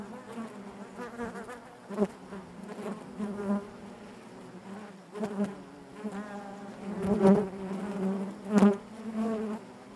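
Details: Inside a honey bee hive, a continuous low buzz from many bees, with louder surges as individual insects pass near, several brief sharp taps, and a rising whine toward the end.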